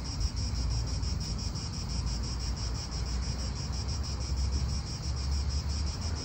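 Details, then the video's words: In an Italian park, cicadas produce a continuous high-pitched rasp beating in quick regular pulses, with a deep rumble of wind and passing cars underneath. "Cicadas wind real atmosphere in an Italian park"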